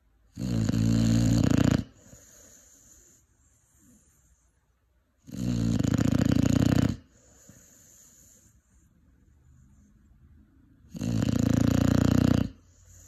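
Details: Cane Corso puppy aged five months snores steadily: three heavy, grating snores spaced roughly every five seconds, each about a second and a half long, with hushed exhalations between them.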